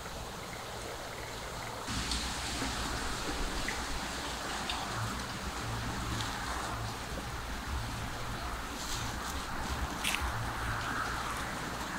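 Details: A steady wash of rain-like or flowing-water noise fills the recording, with a low engine hum pulsing underneath and a few faint clicks.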